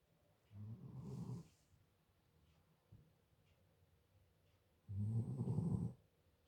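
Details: Sleeping German Shepherd dog snoring: two deep, rumbling, rattling snores about four seconds apart, each lasting close to a second, with quiet breathing between them.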